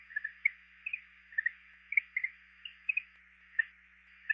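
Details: A greenhouse frog (Eleutherodactylus planorostris), recorded for a guide to Georgia's amphibians and reptiles, gives soft, high chirps, singly and in quick pairs, every half second or so.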